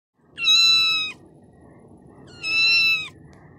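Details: A tiny kitten gives two loud, clear, steady-pitched meows, each lasting about three quarters of a second and spaced about two seconds apart. The room is otherwise quiet, with a low background murmur.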